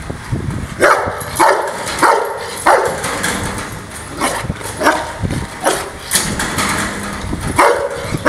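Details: Angry Rottweiler barking repeatedly, sharp loud barks roughly every half second to second, about eight in total, over a rumbling low background.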